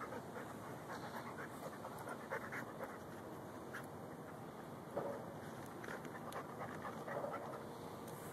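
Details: Lou, a Rhodesian Ridgeback and Bull Mastiff mix dog who loves digging for gophers, recorded on a Samsung Galaxy S3; steady, breathy, rhythmic panting over a faint outdoor background hiss.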